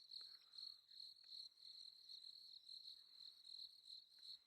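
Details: Crickets calling at night during a sunset safari drive, a high steady trilling pulsing rapidly and continuously at one pitch, with faint clicks and rustles in the background.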